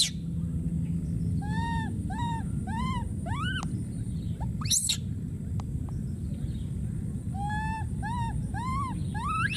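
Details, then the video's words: A wild monkey baby cries out for his friend in repeated arched wails, some bending upward into shrill rising screams, one sharp high squeal midway, then another run of cries; constant low rumbling noise underneath. "this p.o.o.r wild monkey baby keeps s.c.r.e.a.m.i.n.g and calling for his friend"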